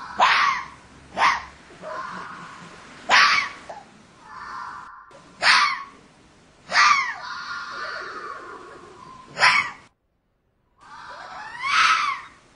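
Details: Fox calling in the mating season, when foxes call out to each other: harsh, hoarse screams and rasping barks in separate bursts every one to two seconds, some drawn out with a wavering tone between them.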